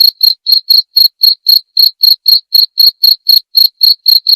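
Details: Cricket calling in a steady, shrill, high-pitched series of short chirps, about four each second, evenly paced with clean silence between pulses and no other sounds.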